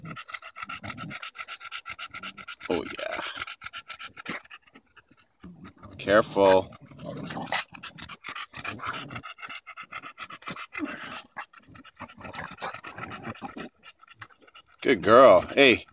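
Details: Bulldog Daisy playing with a branch on a July 2014 walk in Erindale Park; steady fast panting runs through, broken by loud bursts of human voice near the middle and end.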